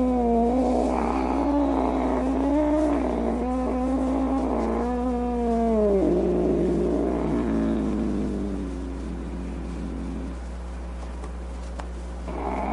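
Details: Mad domestic cat with wavering moaning yowls mixed with a gravelly low growl, gradually fading into rough, indistinct noise.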